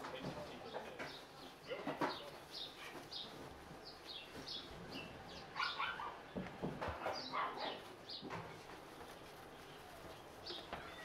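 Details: Pomeranian x Pekingese puppy. Several Pomeranian–Pekingese puppies make brief, high-pitched yips and thin squeaky whines, scattered in quick irregular bursts. Soft rustling and a faint human voice can be heard in the background.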